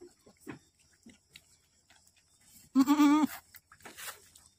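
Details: Boer goat bleating during the birth of twins on a farm in Aceh: one loud, wavering, harmonic-rich bleat lasting about half a second, with soft shuffling and scattered small sounds before and after.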